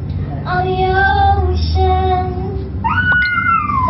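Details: A Siberian Husky sings along to the song "Fight Song", giving long, tuneful howls that hold steady, then bend upward and slide down, with the music playing faintly underneath.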